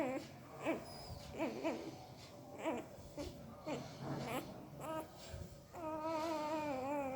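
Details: Puppy vocalising in its sleep with odd mouth noises: short broken chirps and murmuring whimpers, then a sustained wavering whine in the last seconds, indoors in a quiet room.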